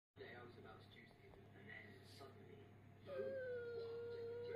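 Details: Tilly, a whippet who always wants the last word, gives a drawn-out, steady high whine that slowly sinks in pitch. It follows several seconds of quiet, muffled indoor murmur.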